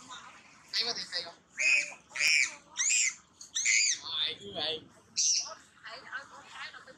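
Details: Macaque at Angkor Archaeological Area near Siem Reap, Cambodia: female Jane crying as a big male comes to her. About eight loud, harsh, high-pitched harmonic screams in seven seconds, each under half a second, with wavering tone.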